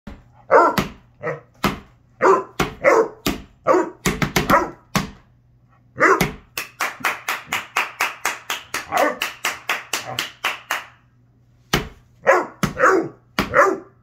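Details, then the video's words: Basset Hound, a vocal dog, giving repeated short harsh barks in bursts, with a run of rapid rhythmic barks mid-clip and pauses between groups; a faint steady low hum runs underneath. "Vocal Basset Hound"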